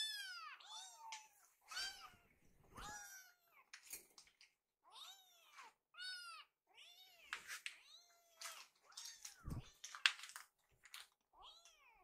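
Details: Several hungry rescued kittens gather in a kitchen, waiting while their food is prepared; many overlapping high, arched meows and squeaky cries follow one another rapidly, with brief pauses and a few soft knocks.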